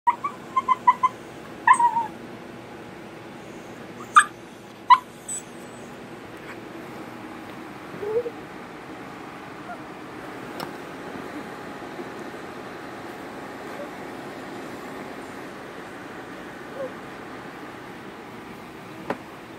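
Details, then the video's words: Female Italian Greyhound named America singing for attention: short high whining notes with bright overtones in the first five seconds, then a lower rising whine near eight seconds, followed by long near-quiet stretches with faint background hum and a few clicks. "America the beautiful Italian Greyhound singing to me she wants Attention."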